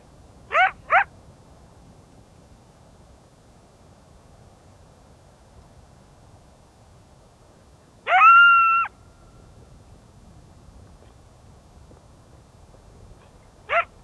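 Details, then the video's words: A coyote in winter in Yellowstone National Park gives two quick sharp yips, then a brief high rising howl, with long silences between. "Coyote Howling and Yipping in the Winter at Yellowstone NP"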